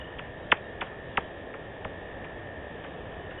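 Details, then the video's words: Wild bats in Africa picked up by the Djuma camera on 7 February 2018: a few sharp, bright clicks, irregularly spaced and strongest early on, over a steady hiss with a faint constant tone. "Wild Africa the sound of Bats"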